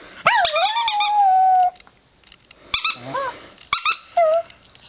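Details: Howling from a four-year-old pet chihuahua: a long wavering held note that slowly falls, then after a pause shorter broken yips and a brief final falling whine.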